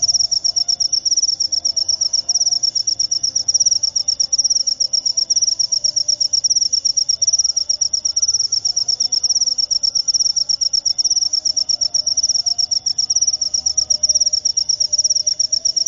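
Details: Jangkrik upo cricket singing continuously: a sharp, high, ringing trill of fast pulses with only tiny breaks, steady in loudness throughout, over a faint low background drone.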